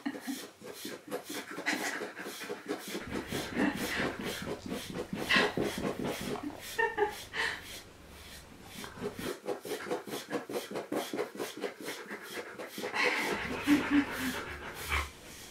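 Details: Siberian Husky panting while being groomed indoors, with quick, steady breaths repeating several times a second through most of the stretch; brushing strokes and a few spoken words mix in.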